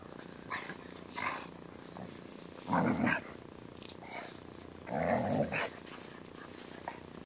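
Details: Annoyed Siberian Husky with a German Shepherd puppy playing on it gives two strong, drawn-out grumbling growls, near three and five seconds, after fainter short grunts, against a quiet background.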